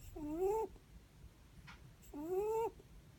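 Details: Two breathy, whistled snores from a sleeping Netherland Dwarf rabbit, each a short gently rising tone with a soft hiss, separated by a quiet pause and a faint brief click.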